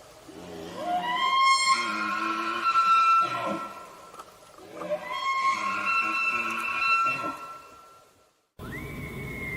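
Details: A bull elk (Cervus canadensis) gives its mating-call bugle twice during the rut, an eerie rising whistle followed by low, throaty grunts.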